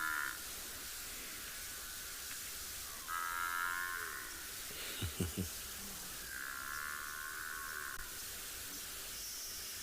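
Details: A large African buffalo herd bellows on a chilly winter sunrise in July at Tswalu Kalahari Reserve, South Africa, drawn-out moaning calls rising and falling, sounding like young calves complaining about not getting milk.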